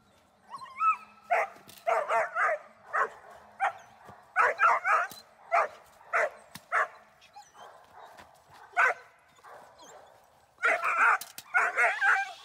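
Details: Dornan, a German Shepherd in protection training, gives bursts of loud, harsh barks in clusters of two or three, with short pauses between groups and a quieter stretch before a final flurry.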